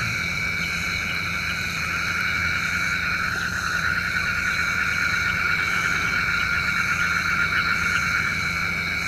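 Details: Nocturnal frog calls said to call down rain: many voices merge into a continuous buzzy, rapidly pulsed chorus across several pitch layers, swelling slightly midway, with a steady low hum underneath.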